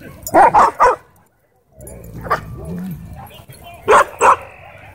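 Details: Wolfdog at a dog park threatening a man: a quick burst of three sharp barks, a lone bark after a pause, then two more close together, with low murmuring voices and background noise between them.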